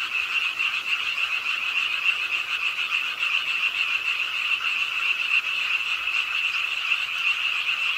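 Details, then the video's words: Chorus of frogs at a pond in an urban park in Suwon, South Korea, calling with the rainfall late at night; fast overlapping croaks around three per second merge into a continuous shrill buzz over light rain. "비오는 밤 공원 연못 추억의 개구리 소리"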